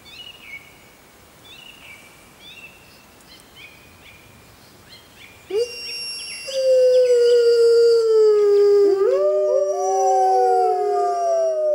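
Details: Grey wolves in the wild at full moon: first only soft chirping insects or birds, then from about six seconds a loud steady howl begins, joined by further voices sliding and overlapping into a chorus.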